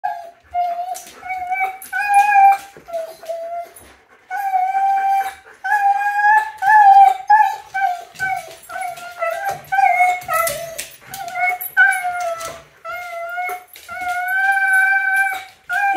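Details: Apollo, a Siberian Husky, whines and cries in a tantrum, upset at not being allowed to go along with someone leaving; long wavering high whimpers and howl-like cries repeat in bursts of a second or two, indoors.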